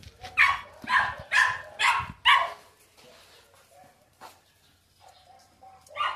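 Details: Dog barking indoors or nearby: five loud, harsh barks in quick succession over about two seconds, then a quieter stretch with faint soft sounds and low background hum, one last sharp bark rising at the end.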